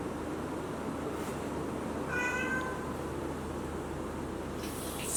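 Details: A small kitten looking for its mother gives a single faint, wavering meow with a slight downward bend, set against a steady background hiss, with a brief rustle near the end.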